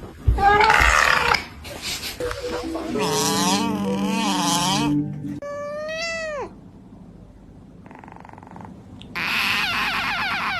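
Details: A cat making a strange sound: drawn-out, wavering meows that rise and fall in pitch, with several yowling cries in a row, a short gap, then another loud burst, over faint background noise.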